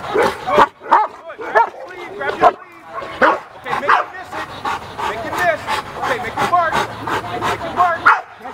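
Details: A male Cane Corso during its first bite work training session, giving sharp, repeated bark bursts while people talk over it and give handling instructions.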